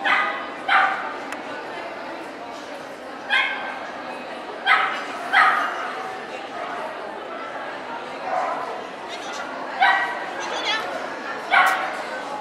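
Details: Cardigan Welsh Corgi at a dog show in Ostrava, Czech Republic, 12 April 2014, giving sharp barks singly or in pairs, about eight across twelve seconds, over a steady hum of indoor crowd chatter and voices.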